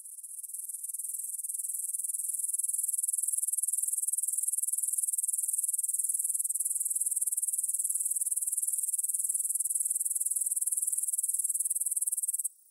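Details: Meadow grasshoppers near the Svensky monastery in Bryansk, Russia, stridulate at 9pm on 6 September 2020, captured with a Tascam DR-44WL. A shrill, continuous trill swells in over two seconds, holds steady, then cuts off abruptly near the end.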